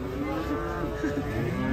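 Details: Cattle, a brown cow, lowing in one steady, low harmonic moo that lasts nearly two seconds and swells slightly toward the end, with faint background murmur.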